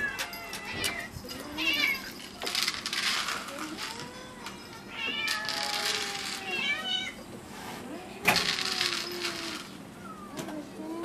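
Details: Cats at Gotanjo-ji, the temple nicknamed the cat temple, call in a busy chorus. Several overlapping meows rise and fall, some short and some drawn out, with sharp clicks and clatter between them.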